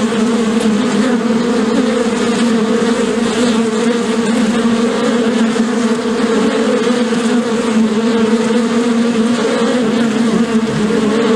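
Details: Collective buzzing of many bees, a steady, loud, low hum with rich overtones that swells and softens slightly but never stops across the whole stretch.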